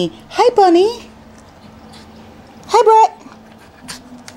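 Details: Male puppy Brett or his companion Bunny, indoors at an Akron, Ohio breeder, gives two whining cries, the first wavering up and down, the second briefer, while a person talks softly between them.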